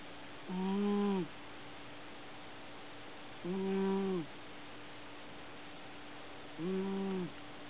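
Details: Sleeping pet cat named Shiro snoring loudly, three steady droning snores about three seconds apart, each lasting under a second, with a faint constant hum underneath.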